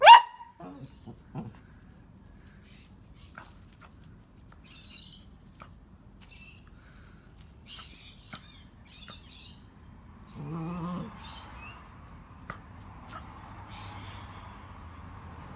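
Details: A dog barking while trying to pull a feather out of a spiderweb and getting scared: a sharp bark at the start, quiet rustling and faint clicks, then a short harmonic bark-like yelp near the end.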